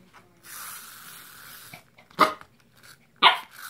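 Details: Roger Rabbit, a Corgi puppy indoors, barks at a larva toy that angers yet frightens him: two sharp, loud barks about a second apart, following a soft hissing rustle and a faint low growl.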